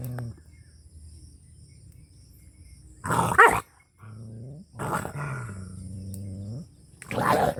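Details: Angry dog in a Pakistani Punjab village: low growling at first, then sharp barks around three, five and seven seconds, separated by sustained low, even-pitched howling tones.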